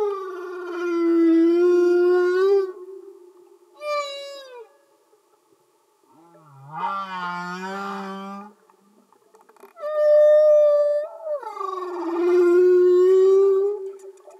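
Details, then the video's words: Humpback whales sing underwater in loud, sustained harmonic moans, some long and even, one low growling unit, others sliding downward or upward, with short silent gaps between phrases. "Amazing singing Humpback Whales"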